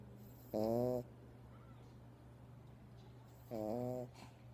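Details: Dog dozing in its owner's arms indoors, snoring; two brief, nasal, whistly snores about three seconds apart, with a steady low hum underneath and a faint click or rustle at the end.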